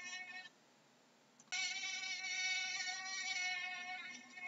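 A mosquito's thin, steady whine, a high buzz that holds one pitch and swells louder after a brief pause.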